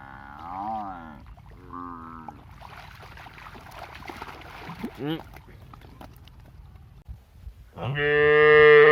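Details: Buffalo in a village, two short wavering moos early on, then a loud, sustained, deep moo swelling at the close.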